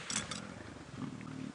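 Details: At Djuma private game reserve on a late-afternoon safari drive, 18 November 2016, a lion near a pride feeding on a buffalo kill with cubs gives a brief low, rumbling, purring moan after sharp rustling bursts.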